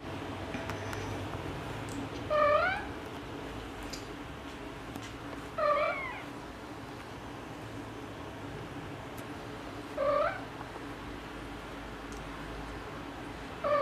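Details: Tabby mother cat talking to her kittens: four short rising-then-falling meows, each about half a second, spaced roughly every three to four seconds over a low steady room hum.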